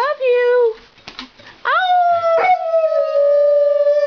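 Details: Labrador Retriever howling in a group howl, a pet that likes to talk; a short steady howl, a pause with soft sounds, then a long rising-then-level howl held for over two seconds.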